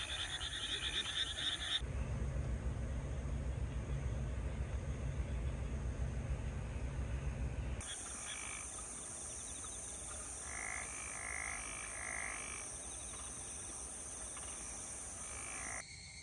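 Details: A night chorus of frogs from terraced rice fields around a hot-spring inn in Yufuin, Oita, Kyushu, Japan, on a still, windless night, with rapid repeated croaks over a steady background hum.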